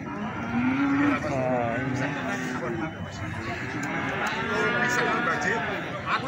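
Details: Feeder cattle being sold at Plaosan cattle market, Magetan: a rising lowing call in the first second, followed by further overlapping moos from other animals, with constant crowd murmur and voices underneath.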